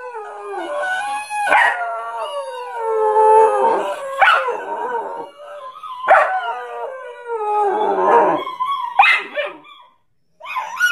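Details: Dog in a sequence of wavering, sustained howl-like cries mixed with abrupt, harsh barks about every two seconds, then a brief silence before a final bark.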